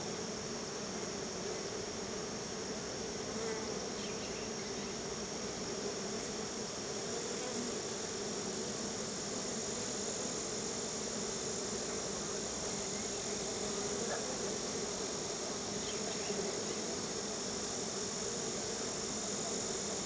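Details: Dense, continuous humming drone of many honey bees gathered at their hive while being given store-bought honey as a treat, a thick even buzz with a faint high steady tone overhead.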